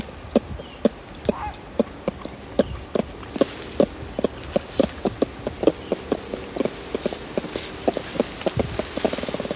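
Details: At Berenty Reserve, ring-tailed lemur adults feeding in the trees exchange contact clucks up close: a steady stream of short, loud, hollow clucks, quickening toward the end, over faint high insect buzzing.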